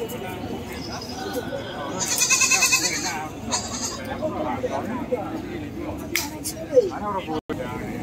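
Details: Goat at an animal market giving a loud, quavering, wavering bleat lasting about a second, followed by a shorter, fainter bleat near the end, over steady crowd chatter and busy market noise throughout.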